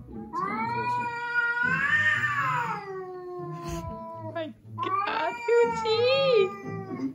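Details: Two adult domestic cats, a Russian Blue and a rescued stray, meet for the first time and yowl in long, wavering, rising-and-falling wails as they face off aggressively.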